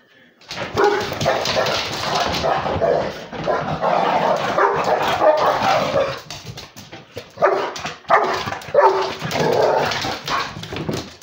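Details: Beagle and Basset Hound mix playing with a pitbull: rough, almost continuous growling and snarling with short barks mixed in, breaking off briefly midway before the noisy tussle resumes.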